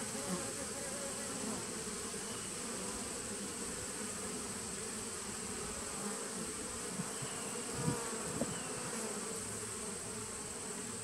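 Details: Continuous buzzing from a 2017 honey bee nuc, recorded 19 September 2018: a thick, even hive hum with low murmuring texture, a steady faint high whine, and a couple of brief soft knocks near the end.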